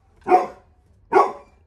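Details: Labrador Retriever puppy Little John guarding the house when a visitor enters, giving two loud, full barks nearly a second apart in a quiet indoor setting.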